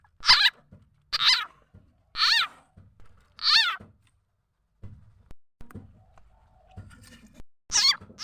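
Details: Frog calls used to lure birds and domestic fowl: four strong, buzzy notes falling in pitch, about one per second, then a pause with faint knocks before one more call at the end.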